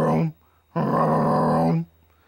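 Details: An American bullfrog gives deep, droning calls, a short one followed by a longer resonant one, a call likened to "jug-o-rum."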